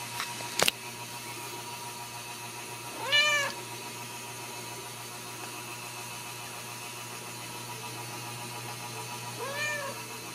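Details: Ragdoll kittens raised indoors without cages at a home in central Kansas. Two short, clear, high meows sound several seconds apart over a steady background hiss. A faint click comes early on.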